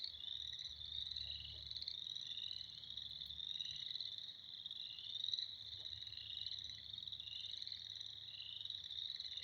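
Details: Springtime frog chorus: many high, rapidly pulsed trills blending into an unbroken wall of sound that swells slightly and fades, with a soft low hum in the background.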